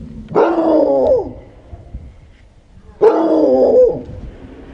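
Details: Zoe, a male Chihuahua who dislikes the sound of lawnmowers, gives two long, wavering barks about three seconds apart. Each one rises sharply and then slides down in pitch, with quiet pauses between them.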